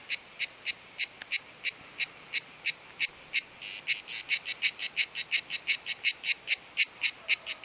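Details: Summer cicada song, one of two cicadas filmed, sound produced by tymbals: evenly spaced buzzy pulses that gradually speed up and crowd together toward the end, about twenty-seven pulses in all.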